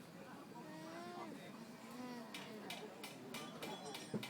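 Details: Alpacas at a countryside day event in Groningen, communicating: soft, nasal, wavering hummed tones that rise and fall over about a second, with people's voices and sharp clicking sounds in the background.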